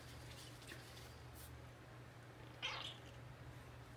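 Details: An extremely affectionate Bengal cat gives one brief, soft meow against a steady low indoor hum.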